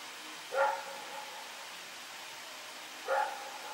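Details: Rex, a dog running around in the dark on September 21, 2018, gives two single barks about two and a half seconds apart, faint against a hissy background.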